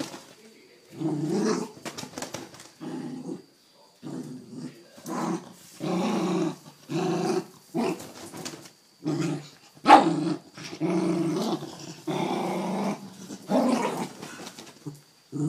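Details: Dog playing with a blanket, growling: a series of rough, throaty growls in short bursts of about half a second to a second, repeated with brief pauses throughout, plus an occasional sharp snap.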